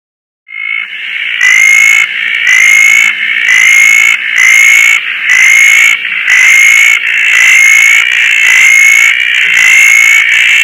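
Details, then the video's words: Roth's tree frog calling on a rainy night in Koah among many frogs, resting on a breezy tarp; loud, regular notes repeat about once a second, each a bright slightly rising tone with a sharp, ringing edge. "roth's tree frog"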